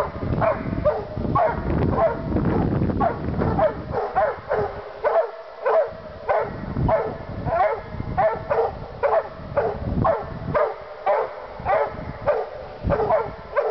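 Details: Two Treeing Walker Coonhounds baying excitedly while treeing, a fast run of loud, harsh bawling barks with ringing overtones, repeated roughly every half second, overlapping and uneven, with broadband rustling noise in the first seconds.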